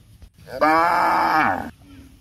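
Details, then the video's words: A single sustained moo from a cow looking for food in a housing complex, a steady harmonic call lasting about one second with a slight fall at the end. "the sound of cows looking for food"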